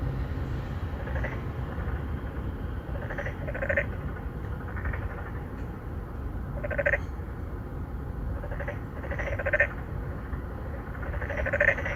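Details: Chorus of three to four endangered narrow-mouthed frogs seeking females at a residential pond in Songdo, Incheon, Korea, 2019: repeated short pulsed croaks from several callers, some overlapping in pairs, against a heavy low-frequency hum.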